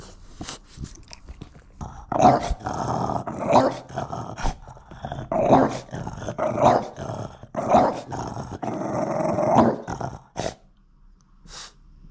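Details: French Bulldog vocalizing insistently to get its owner to put his phone away: loud, repeated, mid-pitched growling grumbles, each burst about a second long, running almost continuously for ten seconds before stopping, with brief clicks at the end.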